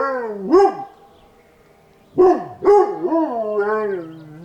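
A Chihuahua gives thin, wavering howls that start with a sharp yip and then slide up and down.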